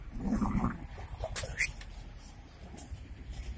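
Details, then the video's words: Golden Labrador and cocker spaniel fighting; a low, rough growl with a buzzing pitch band rumbles through the first second, then softer rumbling and scuffling continue beneath faint background noise. "Golden labre with cocker spaniel fight"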